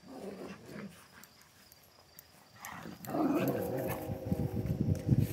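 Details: Central Asian Shepherd Dog in Michigan barking: a quieter, scattered stretch, then from about midway a run of deep, rough, rapidly repeated barks that grow louder toward the end, with some background noise.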